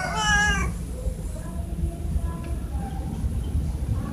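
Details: Cats fed in the morning, meowing to ask for food or attention: one loud, clear, harmonic meow in the first half-second, swelling then fading, followed by faint, softer mewing sounds over a low background rumble.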